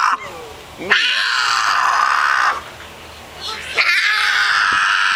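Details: Female cat Mia, in heat, gives drawn-out caterwauls: a brief falling whine, then two long, steady, harmonic-rich yowls with a quiet breath between them.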